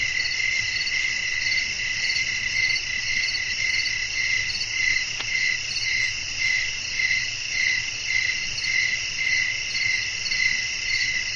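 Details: Night-time cricket chorus in wind-swept natural surroundings, a continuous shrill chirping that throbs in a loose rhythm near two beats per second, with a single faint click midway and a soft low hum underneath.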